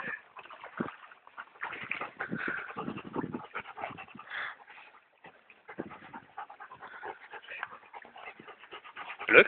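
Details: Dogs Brad and Olivia, called Olly, at B&B Torricella on 19 June 2011 at 16:18: irregular breathy panting and snuffling bursts with soft whimpering tones, quieter in the middle, then a loud burst at the very end.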